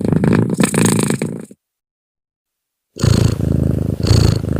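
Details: Cat purr while breathing, a deep, rapid buzzing rumble in two stretches split by a silent gap of about one and a half seconds, with airy breath hiss on some pulses.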